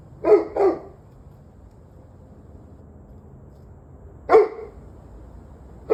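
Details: Two quick barks open, then a pause of about three seconds, then another sharp bark and the start of a fourth. A dog barks in the evening, 11/21/23 at 7:06 pm, with a low background drone.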